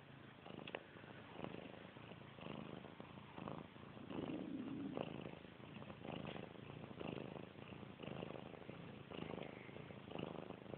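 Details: Domestic cat purring indoors, a soft, steady rumbling hum with even pulsing throughout, recorded close and quietly, with no other clear sounds.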